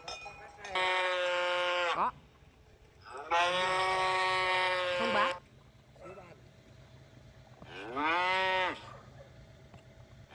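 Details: Three cow moos in ten seconds: two long, steady ones about a second apart, then a shorter moo with a bending, arched pitch, with quiet gaps between them.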